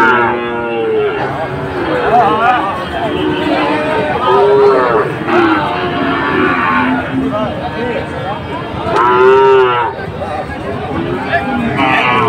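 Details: Sahiwal breed bulls at a Dhaka cattle market, Bangladesh, 16 September 2024: a string of rising and falling moos from more than one animal, two long steady bellows standing out, over busy crowd chatter and background music.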